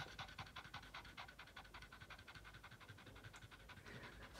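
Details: Boston Terrier worn out from playing fetch and fixated on its ball, panting rapidly in short, breathy huffs, nearly three per second, fairly even and unbroken across the stretch.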